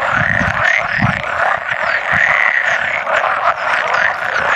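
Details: About 100 male pool frogs calling together at egg-laying time on 16 May 2017; a steady wall of rattling, quacking croaks with some low rumbles underneath, and an occasional edible frog among them.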